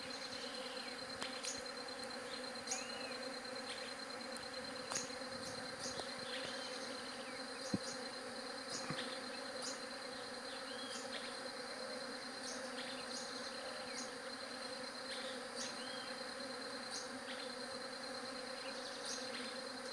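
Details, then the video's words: Bees buzzing in a steady, dense drone with a low hum and a brighter overtone layered above it. Sharp clicks and short high chirps break in at irregular intervals over the whole stretch. "SOM DE ABELHA"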